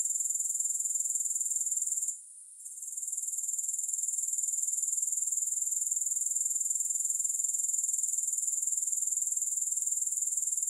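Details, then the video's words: Continuous high-pitched grasshopper trill without music, pulsing regularly about four times per second, with a brief drop-out early on before the even buzzing resumes. "Grass Hopper Sounds"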